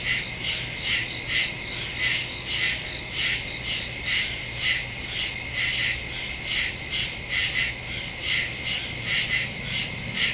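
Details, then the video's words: Crickets chirping after dark in the woods, recorded on a phone with a stereo mic on September 2, 2023: bright, high trilling pulses repeating steadily, overlapping into a continuous shimmering chorus. "Crickets in the woods at night"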